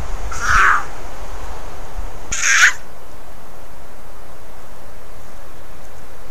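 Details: A female mountain lion caterwauls in January 2020, giving two loud, harsh, screaming yowls about two seconds apart over a steady low hiss.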